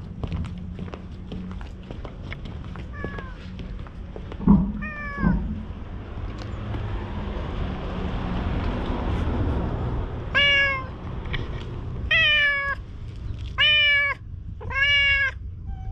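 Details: Talkative stray cat being petted in a deserted shopping street, filmed with a GoPro; a few faint mews early on, then four clear, drawn-out harmonic meows about every second and a half near the end, over a low rumbling background.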